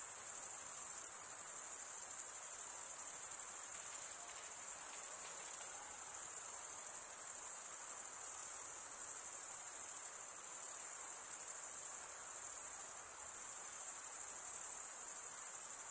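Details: Steady, piercing chorus of crickets chirping, a uniform high trill sustained for the full length with small flickers in loudness and no other animals, voices or noise.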